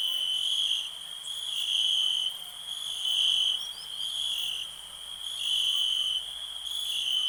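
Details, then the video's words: Crickets in a calm natural setting give a shrill, unbroken high trill. Its volume rises and falls in slow waves, roughly every second or two. "Nature sounds, cricket relax"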